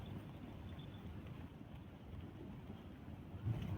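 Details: Low buffeting wind rumbles against the microphone throughout, with no animal voice.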